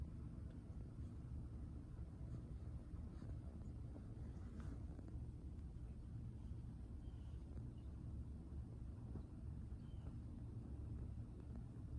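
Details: Steady low outdoor rumble like distant traffic or wind, with no animal voice.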